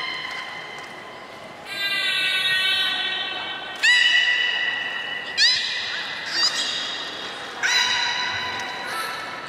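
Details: Captive beluga whale at Port of Nagoya Public Aquarium, Japan, 30 March 2019, around feeding on fish and the play time afterwards: sustained, rich tonal squeals with sharp upward-sweeping onsets, repeated in several long notes over a hall-like background.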